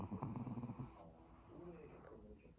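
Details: Pomeranian in deep sleep at home after a longer-than-usual walk and a drink of water, snoring with a rough, pulsing low rumble for the first second, then quieter breathing in a small room.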